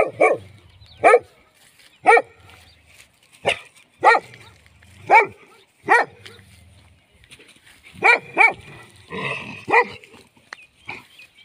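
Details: Steady barking from a dog, single loud barks roughly once a second, then a quick double bark and a softer, muffled stretch near the end.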